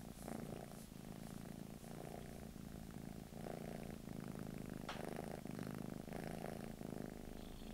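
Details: A British Shorthair cat kept in England purrs in a steady, throaty rumble, cycling with its breathing roughly every second, with a small click near the five-second mark.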